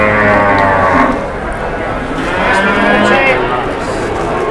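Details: Cattle with an enraged cow reportedly charging amid negotiations; deep, droning moos with rich harmonics open the stretch and return near the end, mixed with crowd chatter and a faint musical undertone.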